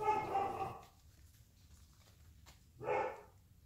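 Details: Airedale Terrier puppies, four and a half weeks old, AKC registered, in San Diego, California, from a litter of nine (six males, three females) playing together; two rough, harmonic bursts, the first about a second long, then a shorter one after a quiet gap.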